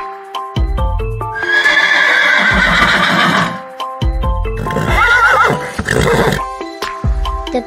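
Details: Horse neighing, played for children learning animal sounds: a long, shrill whinny that wavers and then falls away, followed by a second, shorter whinny, over bouncy background music.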